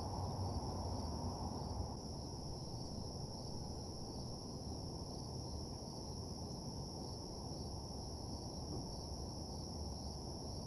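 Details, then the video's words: Night crickets around an empty parking lot: continuous shrill two-tone trilling runs throughout, set against a dense low hum that drops slightly in loudness after two seconds. "Nighttime Parking Lot Ambience (Cricket Sounds)"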